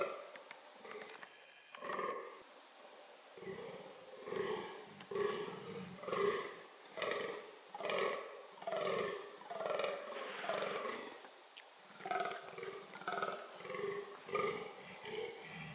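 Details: Fallow deer (Dama dama) vocalising during reproductive behaviour: deep, hoarse, belching groans repeated roughly once a second in a steady series, starting after a few quieter, irregular seconds at the beginning.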